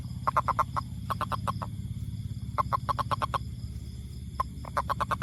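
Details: Toad calling in quick bursts of four to six short, clipped mid-pitched notes, repeated several times, over a steady low rumbling background.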